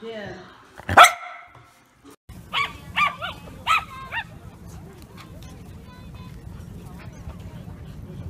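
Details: Bichon Frise dog in a compilation of pet clips. One loud bark opens, then after a short pause come three quick high yips in a row, followed by steady low background noise.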